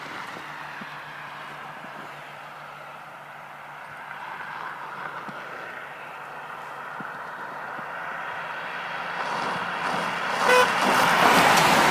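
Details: A steady engine drone, like a passing vehicle or aircraft, swelling louder toward the end. No animal voice stands out.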